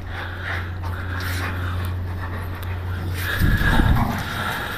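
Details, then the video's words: Pit bull named Scott, urged in Portuguese to pull and grab during play, breathing in fast, steady low pants that grow louder and rougher in the last second and a half, with a person's voice giving commands over it. "PITBULL BRAVO???!!!"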